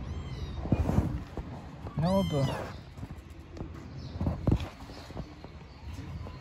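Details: Stray kittens living on the street, playing; one drawn-out, wavering meow in the middle, surrounded by thumps, scuffling and a man's voice speaking Turkish.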